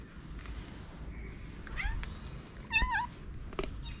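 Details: Moroccan street cat coming to a person who feeds strays; a brief meow, then a louder, quavering, pitch-bending meow, with low rumbling background noise throughout.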